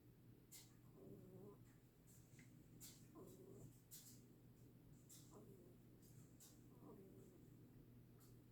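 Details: Rabbit snoring indoors: soft, breathy rasping snores repeat about every two seconds over a faint steady electrical hum, with occasional light clicks.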